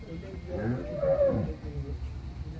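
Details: Holstein Friesian cow, a second-calver 8 months 25 days pregnant, at a dairy farm in Pabna, Bangladesh; a short, low, mooing call with a tonal peak midway, over background noise.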